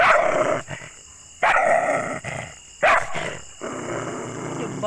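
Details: Aggressive dog giving three loud, harsh barks about a second and a half apart, each a sharp broadband burst followed by quieter gaps with faint background noise.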